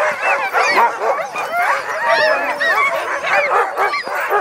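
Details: Many dogs in an outdoor dog yard making a strange noise: a dense, continuous chorus of overlapping high yips, whines and arched howl-like cries, steady and loud throughout, with no other sounds.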